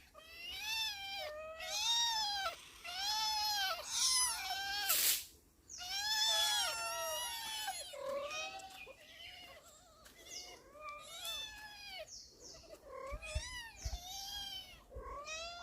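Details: Four domestic cats making noises as they are fed: a steady run of overlapping arched meows, many voices calling one after another with brief gaps, one sharp broadband burst midway.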